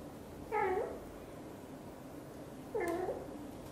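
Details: British Shorthair mother cat Xaxa, blue golden, chatters as she grooms her tiny kitten Piano, giving two brief, dipping, harmonic-rich meows roughly two seconds apart against a quiet background.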